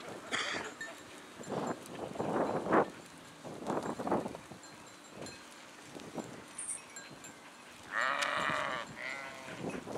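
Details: Sheep flock bleating: scattered short calls early, then a loud wavering harmonic bleat near the end followed by another, over faint rustling and a soft bell-like tinkle.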